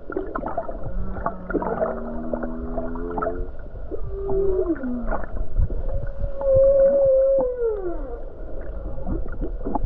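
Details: Calm day off Hawaii with many whales about; a humpback whale sings a buzzy, harmonic-rich rising tone, a short falling moan, then a long steady wail that bends downward at the end, amid clicks and low rumbling water.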